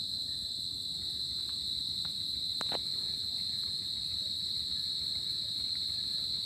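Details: Summer-night crickets trilling in an unbroken high-pitched drone, with a few brief clicks and a soft low background rumble.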